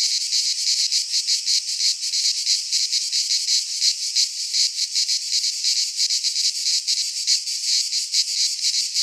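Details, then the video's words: Midsummer cicada song from a pine forest in Greece: a loud, unbroken, high-pitched buzzing that throbs in rapid, uneven pulses for nine seconds, with no birds or other noises heard. "Cicadas singing in midsummer - Nature sounds from the Greek fauna - Sounds of cicadas"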